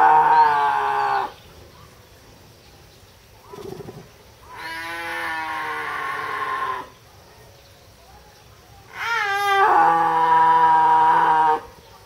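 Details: A snow leopard at Tama Zoo, filmed in October 2012, gives long, drawn-out yowling cries with short silent gaps between them, possibly because the mating season has arrived.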